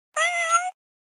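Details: Domestic cat giving a single clean meow about half a second long, steady tonal voice with rich stacked harmonics and a slight swell near the end, then silence; no other sounds.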